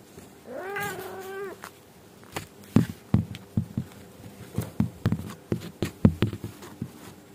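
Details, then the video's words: Angora mother cat grumbling at her kittens to make them sleep and behave: one brief, slightly quavering meow at the start, followed by a series of soft thumps and knocks in a small room. "Suara Kucing Indukan Ngomel Sama Anak Agar Cepat Tidur & Tidak Bandel"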